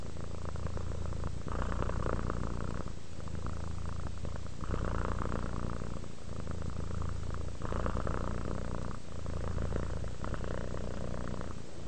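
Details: Relaxed cat purring steadily, deep buzzing rumble rising and falling with each breath, roughly every one and a half seconds, close and continuous with no other sounds.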